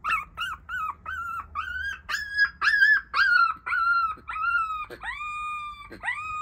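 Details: Black Shiba Inu puppy from a litter of three sisters: a series of short high squeaks building into longer, tonal whining howls that arch and then fall, with sharp yips near the end.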